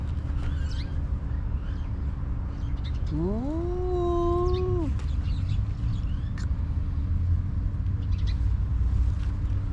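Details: Homeless stray cat outdoors in Ras Al Khaimah, UAE, lets out a single clear meow of about two seconds that climbs, holds level, then drops, over a constant low rumble of traffic and scattered bird chirps.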